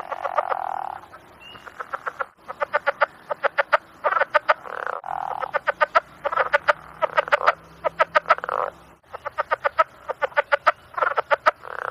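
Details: Calling frogs give rapid series of harsh, rattling croaks in bursts of several pulses, repeated steadily with short pauses. The call is described as a mating call. A faint low hum runs beneath.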